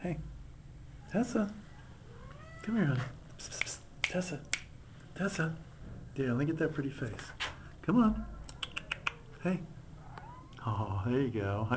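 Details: Domestic Shorthair cat at an adoption shelter, meowing repeatedly indoors in a small room; several drawn-out, wavering meows with rising and falling pitch, interleaved with a person talking softly to the cat.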